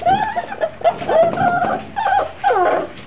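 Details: Puppies at 7 weeks old in an indoor pen whimper and whine: wavering, nasal high-pitched cries in irregular clusters, some drawn out, others clipped, a few quiet gaps between.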